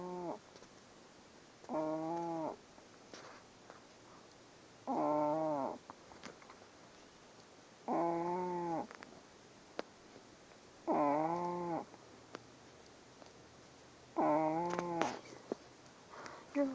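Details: A sleeping puppy snores loudly, each breath a droning, harmonic-rich hum lasting around a second, repeated steadily about every three seconds, with brief quiet gaps and small clicks in between.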